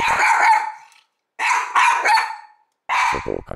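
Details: One-year-old Mameshiba dog barking loudly out an open window at nobody outside, as a guard dog, on a cooling day; three bursts of harsh rapid barks, each about a second long, separated by short pauses.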